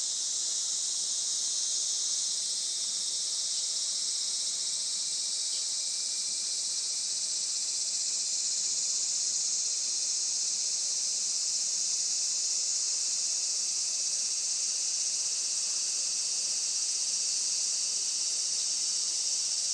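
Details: Many cicadas heard on a traditional farm in Saitama, Japan, around 11:30 am on 20 July 2024 in sunshine: an intense, even, high whining drone that continues unbroken.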